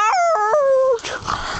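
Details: Irish Terrier that play bites when her owner runs, giving a short high yelping howl: three quick rising-and-falling notes sliding down into a held tone, followed by rough noisy rustling.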